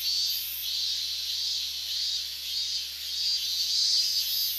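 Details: Chorus of higurashi cicadas, August 2011, near the boundary of the restricted zone in Minamisoma, Fukushima, extremely loud. High, hissing, wavering wall of insect sound that swells and dips roughly every second, with sharper bursts above it.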